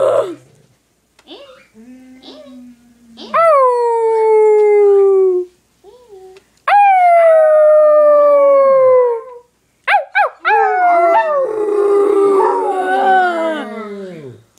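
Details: A small black Yorkie-poodle and a Basset Hound howl together in several long drawn-out cries, each sliding downward and fading, separated by brief pauses, then quick yips before the two voices overlap in a dense, wavering chorus.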